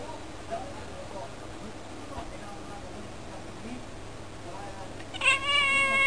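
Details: House cat talking at the window in cold weather; after a quiet stretch of faint room noise, one bright, sustained meow of about a second closes the recording.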